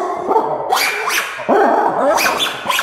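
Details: Lemur giving dog-like barks: loud, rough calls with rich harmonics, about five in under three seconds, some sliding up then down in pitch.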